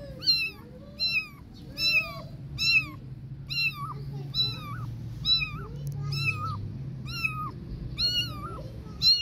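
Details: Insistent, piercing mews from three kittens confused without their cat mom, about a dozen bright, downward-bending cries repeating roughly every three-quarters of a second against a faint low hum.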